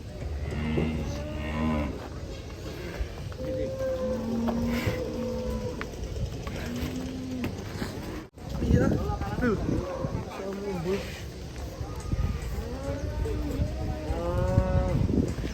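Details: Cattle being unloaded from a truck, giving several long, low moos with steady harmonic bands, some held for over a second, others rising and falling in arched shapes, amid background music and crowd noise.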